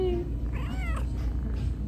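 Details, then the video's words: Small kitten makes a brief tonal start followed by a short arched meow, fairly quiet beneath low continuous background hum. "Wee kitten meows"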